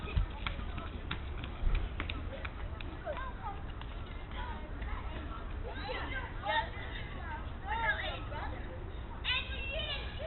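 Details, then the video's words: Goats at night, Duke's kids and Exeter, calling at 10:45 PM on a cooler night. Wavering, bleat-like calls cluster in the second half over a steady low rumble of background noise. "1016 Duke kids and 997 Exeter at 1045 at night making noise at 10:45 PM"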